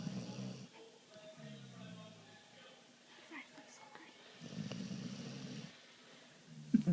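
A sleeping vizsla puppy snores in low, rumbling breaths with quiet pauses between them.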